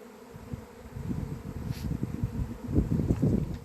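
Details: Honey bees swarming on 28 April 2026, the year's first swarm at an apiary: dense, low droning buzz that swells in irregular surges, with crackling handling or rustling noises mixed through.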